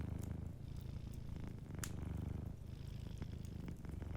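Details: Deep, smooth purr of a sleeping cat dominating a short stretch, the low rumble swelling and easing rhythmically, with only faint fire crackles and one brief snap beside it.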